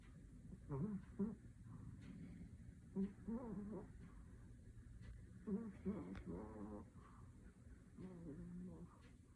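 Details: A Shih Tzu in deep sleep, dreaming, snores softly, each breath carrying a faint, wavering whimper.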